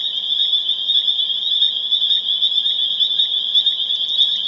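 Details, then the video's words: Massed spring peepers near Harvard, Massachusetts, April 27, 2011, in full chorus: a relentless high-pitched ringing of overlapping peeps, with a brief rapid trill rising near the end above the steady din. "Spring Peeper Chorus Builds to a Crescendo"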